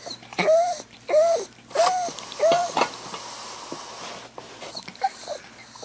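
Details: Dog left at home in an apartment, howling while its owner's sister is away: four short, clear whining cries, each bending down at the end, about two-thirds of a second apart, followed by faint snuffling in a small room.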